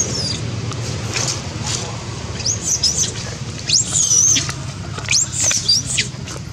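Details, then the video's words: Janet, a monkey, screams loudly from hunger, wanting food: a run of high, thin, arching squeals, some bending up then down, repeated about every second, over a steady low rumble and background murmur. "Janet screaming loudly cos need food"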